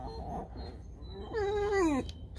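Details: Domestic pet fox kept at home, in a compilation about being hungry; a single drawn-out harmonic whine that wavers and then slides downward, preceded by faint low murmurs, with a quiet room background.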